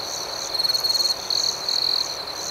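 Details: Crickets at night outdoors: a steady high-pitched trill underlies louder pulsed bursts of rapid chirping, each lasting about half a second, with a fainter higher trill layered above and no other sounds.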